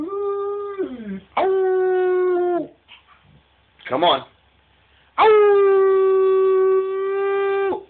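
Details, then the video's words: A husky-wolf hybrid who loves to "sing", urged on by his owner, howls in long, steady, mid-pitched notes that slide downward at their ends. "Our husky/wolf hybrid "Cash" singing (howling)"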